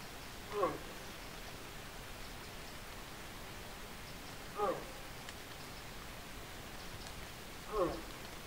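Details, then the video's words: Red deer during the 2024 rut, the berrea season: three short, harsh harmonic bellows spaced roughly three to four seconds apart over a steady hiss of outdoor background noise. "Berrea 2024"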